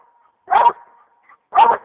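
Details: A one-year-old male Black and Tan Coonhound gives two loud, chopping barks about a second apart, baying at quarry he has treed.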